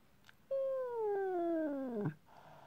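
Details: Displeased talking cat giving a single drawn-out meow that starts high and slides steadily downward, ending in a short rough break.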